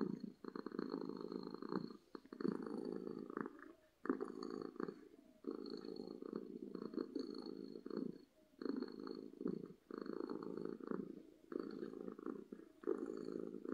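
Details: A domestic cat purrs loudly out of happiness. Each rattling, buzzy phrase lasts about one to two seconds and alternates with a short quiet breath, forming a steady rhythm across fourteen seconds.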